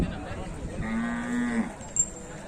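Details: A calf at a cattle market gives one sustained, steady, fairly low moo lasting under a second, with light background murmur from the market.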